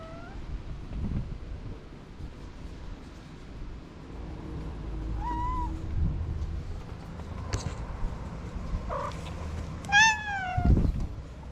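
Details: Orange cat, a feral street cat, after waking from a nap: a few scattered meows, two short mid-pitched calls then a brighter harmonic-rich meow near the end, over low traffic rumble and clicks.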